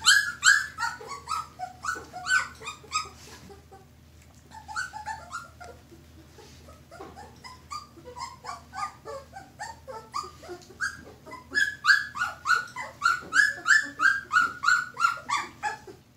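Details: Two-week-old red Standard Poodle pups, indoors with their mother, give high squealing whimpers in rapid repeated bursts, many overlapping voices with falling and rising tones, with a brief quiet stretch midway before the chorus resumes.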